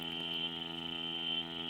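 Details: Cicadas in Iguala, Lempira, Honduras, typical of the summer season there, give a steady, high-pitched droning buzz that holds unbroken throughout, heard from a tree.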